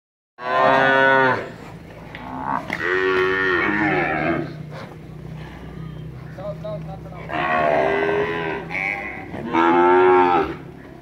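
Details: Pure white Cholistani bull at a cattle farm in Pakistan lowing loudly in four long harmonic moos, some rising and wavering, separated by pauses with quieter low calls between.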